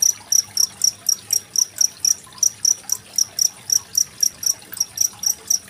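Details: Cricket recorded on 25 February 2023 as a tutor recording for training contest songbirds such as magpie-robins. Sharp, high, metallic chirps repeat steadily about four times per second over a soft background of trickling water.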